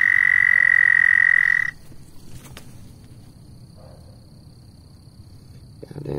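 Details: Frog on a shoe delivers a loud, unbroken high trill for under two seconds, then falls silent, leaving quiet background with a faint click and a low rustle near the end.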